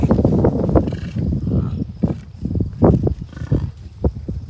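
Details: American bison herd of cows, a few bulls and dozens of calves at Rocky Mountain Arsenal Wildlife Refuge, Commerce City, Colorado, June 2, 2022; a run of deep, rough grunting pulses in quick succession, with wind rumble beneath.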